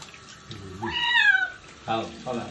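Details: Stray street kitten at its first bath gives one long, high meow that rises then slides down, followed by two shorter, lower cries; faint running water and a person's voice.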